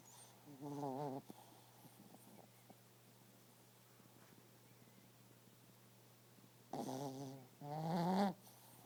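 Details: Sleeping pet dog snoring indoors: two rough, rattling snore bursts, one near the start and a longer, louder double snort later, separated by quiet breathing over a steady low electrical hum.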